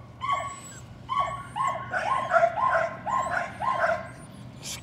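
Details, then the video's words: Patterdale Terrier puppies at evening rat work in a puppy pen: excited high yelping barks, first spaced, then coming in rapid, closely packed bursts, with a faint high squeak above. "Patterdale Terriers- More Patterdale Puppies Working Rats"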